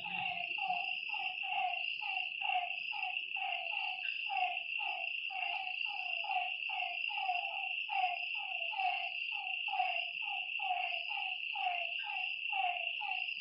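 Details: Lakeside frog chorus at night: evenly repeated, slightly falling croaks from several frogs, layered over a continuous high-pitched whine of insects.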